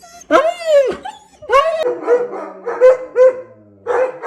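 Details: German Shepherd dog giving a string of tonal, arched whining calls, some long and howl-like, others short and clipped, with strong harmonics and brief pauses between them.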